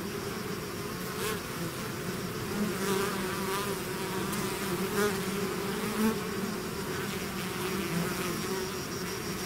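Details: Bees swarming out of their hive: thick unbroken buzzing hum, with several nearer bees flying past and briefly raising the pitch and volume around the middle of the recording.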